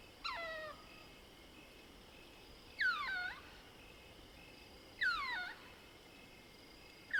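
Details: Lesser bushbaby of the species Galago moholi squeaking at night in South Africa's Soutpansberg range; three separate downward-sliding, harmonic mewing squeaks roughly two seconds apart against soft night background hiss.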